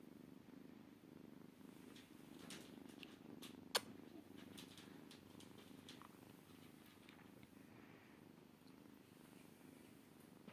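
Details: Purring Maine Coon kitten: continuous low vibrating rumble, with scattered soft clicks and rustles and one sharp tap partway through.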